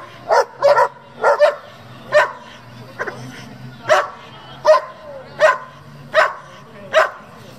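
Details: German Shepherd from a working group devoted to breeding and competing with the breed barks repeatedly, a few doubled at first, then single barks roughly every three-quarters of a second. A steady low hum sits in the background.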